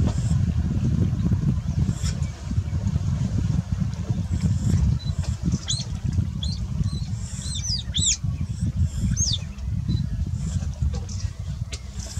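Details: Alarm calls of otters displeased by a crocodile that startled them in the water and was chased away; after a quiet start, a cluster of piercing, high arched squeaks comes in the second half, above a continuous low roar.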